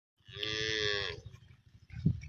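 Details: Cattle amid rising floodwaters: one long, steady, harmonic moo lasting about a second, with music and low rumbling in the background.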